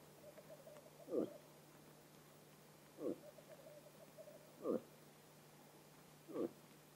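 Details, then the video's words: Rutting bull moose in autumn in Vest-Telemark, Norway, giving four short, deep, throaty grunts spaced nearly two seconds apart, with a faint steady hum underneath. "ELGOKSE I BRUNST"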